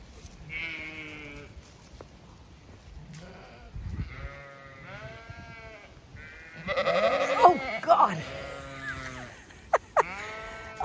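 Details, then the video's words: Zwartbles ewes in a field on a regenerative farm in County Kilkenny, Ireland, in autumn, chatty as their field is checked: several wavering, harmonic bleats come in bursts, some overlapping, with a woman talking among them. "Ewes all very chatty as I check their field for when I next move them"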